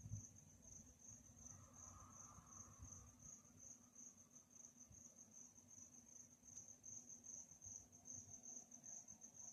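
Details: High, rapid cricket trill sounding steadily at night, growing slightly brighter toward the end, with a low rumbling hum and faint mid-pitched whine underneath.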